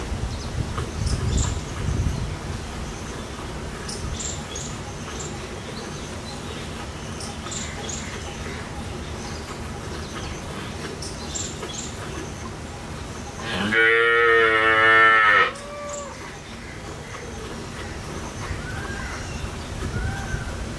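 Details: Desi kaali gau, a local Indian cow, being milked at a dairy in India with her calf standing close by. One loud, harmonic moo lasts about two seconds late in the recording, over steady low background noise and faint bird chirps.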